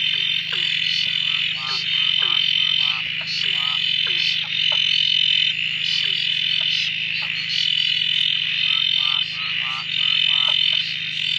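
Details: Frog chorus at a dam near Drake, frogs suddenly calling after days of steady rain following silence; loud layered chorus with repeated rapid trilled croaks and dropping notes in bursts every second or so over a steady high ringing drone.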